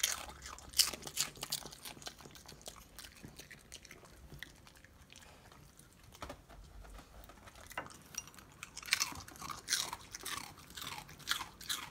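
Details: Rapid crisp crunching of dry snacks indoors, with bursts of loud bites at the start and end and a quieter stretch in the middle.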